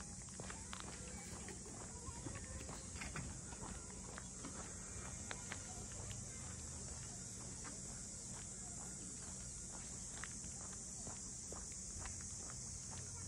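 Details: Cicadas keep up an even, high, sizzling drone over the harbour houses of Ine no Funaya, north of Kyoto, Japan, while steady footsteps and occasional distant voices pass beneath.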